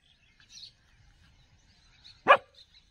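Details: Street dog during a dog fight lets out one sharp, loud bark near the end, following a mostly quiet stretch with faint, high chirping birds in the background.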